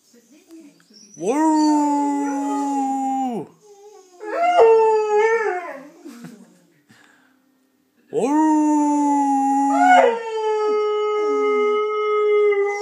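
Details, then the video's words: Saluki named Steve, a pet dog, singing: long sustained harmonic howls rising then holding steady, a wavering middle phrase, and a second long howl that drops in pitch partway through, with brief pauses between phrases. "Singing saluki"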